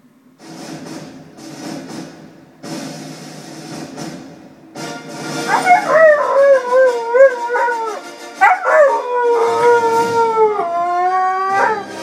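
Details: Siberian Husky (Canis lupus familiaris), howl: a female howls along to the 20th Century Fox intro fanfare, as she does whenever it plays, her voice sliding in long, wavering notes.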